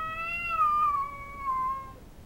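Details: A single loud, sustained yowl from a female cat facing an intruding cat in the backyard, held steady and slowly sliding lower in pitch, with a harsh, strained tone and no other sounds.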